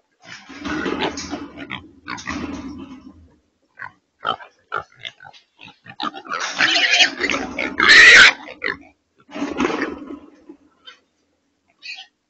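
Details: Trapped wild pigs, also called feral hogs, held in a remote control corral trap in Texas and loading into a transport trailer, give a run of short grunts, harsh rising squeals and snorts, with bursts of rattling and clanging metal.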